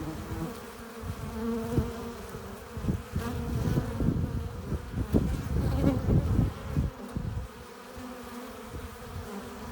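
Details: Low, busy buzzing of honey bees at the hive entrance carrying pollen and nectar, with frequent short bumps and flutters of wings as bees land and take off.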